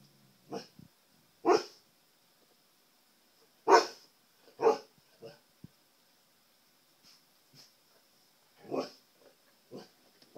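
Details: Pet Siberian Husky indoors, barking at his reflection in a television; scattered single barks and huffs spaced a second or more apart, some breathy and low, over a constant thin high-pitched hum from electronics.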